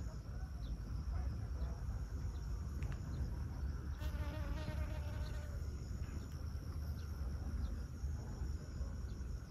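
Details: Honey bee pollinating flowers at Siosar, Karo, North Sumatra, Indonesia: a brief droning, harmonic wing buzz swells for about two seconds mid-recording, over a constant high cricket-like trill and a steady low rumble of wind.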